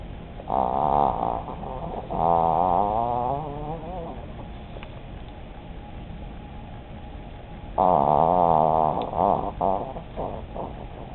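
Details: Starkey, an old female chihuahua, snoring and dreaming in her sleep: two long, loud, nasal whistling snores with a wavering tone, the second after a quiet pause of several seconds.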